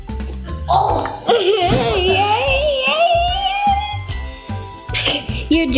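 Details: Upbeat music with a sung melody and some speech is heard, with no animal call present.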